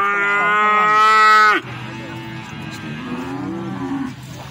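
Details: At the Plaosan cattle market in Magetan, Indonesia, a feeder cow gives a loud, rich, sustained moo lasting about a second and a half. It cuts off abruptly, leaving fainter distant lowing and a low market rumble.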